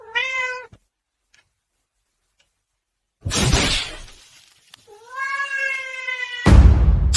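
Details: Domestic cat giving two drawn-out, harmonic meows, one at the start and one near the end, separated by silence and loud thumping bursts of noise.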